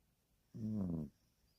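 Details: Dog snoring: a single low, rumbling, harmonic snore lasting about half a second in an otherwise quiet space.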